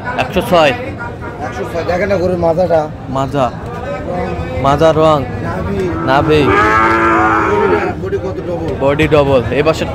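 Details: Sahiwal bull calves, Rangpur, Bangladesh, 5 December, bought by a local farmer: several deep, harmonic moos, one long bellow in the middle, mixed with men talking loudly nearby and general crowd noise outdoors.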